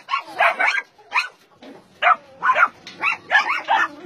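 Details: At a Nonsan, South Korea, meat farm and puppy mill in January 2017, caged dogs bark in quick overlapping bursts, short sharp yaps and barks from more than one animal, with brief gaps between volleys.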